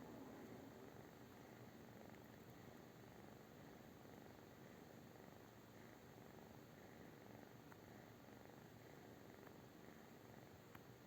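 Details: Low, unbroken purring of a British Shorthair cat, a gentle throbbing hum kept at the same level for over ten seconds, with a few faint clicks.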